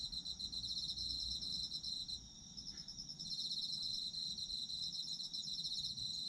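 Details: Chorus of autumn insects for sleep: dense high trilling pulses, rapid and continuous, with one caller pausing for about a second midway while another steady tone carries on; soft low background hum.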